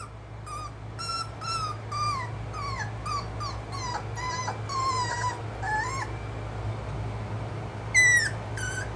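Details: Schnauzer dog crying with a run of short, high whimpers, each a brief rising or bending whine repeated about every half second, ending with a sharper yelp near the end over steady low background hum.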